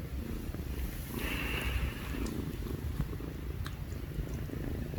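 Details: Two young kittens purring together in the evening, a steady, rough, low rumbling purr that runs without a break through the whole stretch, with a brief faint higher hiss partway through.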